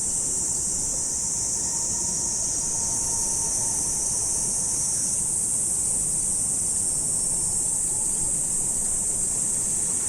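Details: An unbroken shrill insect chorus on an autumn morning, its bright high hiss unchanging from start to finish, with a faint low steady tone beneath.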